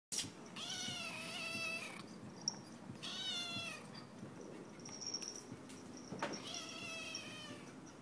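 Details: Domestic cat, happy with food in front of her, gives three drawn-out meows with rich stacked harmonics, each about a second long and spaced evenly, in a quiet indoor setting with faint background hiss.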